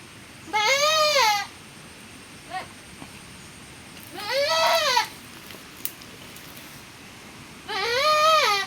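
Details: Goat that has just given birth again, in the rainy season: three loud, wavering, harmonic-rich bleats, each about a second long, spaced several seconds apart, with a faint short call between them and quiet background.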